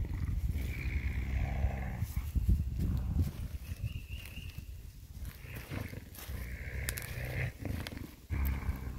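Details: Growling from Scooter, a coyote, on May 13, 2021, after being spooked and grabbing a glove; a deep, throaty, pulsing rumble, steady and low, with brief brighter scrapes mixed in.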